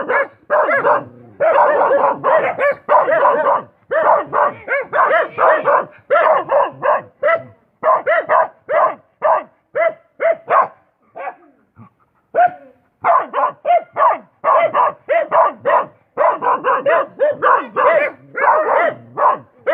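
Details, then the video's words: Dog barking loudly and rapidly, harsh repeated barks in dense runs with only brief pauses throughout, one short gap near twelve seconds. "Suara Anjing"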